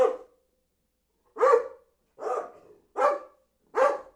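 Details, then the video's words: Dog barking in five loud, sharp barks spaced roughly a second apart, each bark a short harsh burst with a quick fade, in an otherwise quiet recording with no other sounds. "SOM DO CACHORRO LATINDO"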